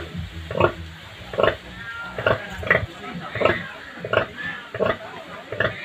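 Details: Native pig sow that has just given birth to many piglets, kept as a farm animal: rhythmic low grunts repeated a little more than once a second, with faint voices in the background.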